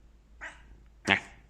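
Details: Domestic cat waking after a nap gives two brief calls: a soft, short chirp-like sound followed about half a second later by a louder, sharper harmonic meow lasting under a quarter second, over a quiet indoor background.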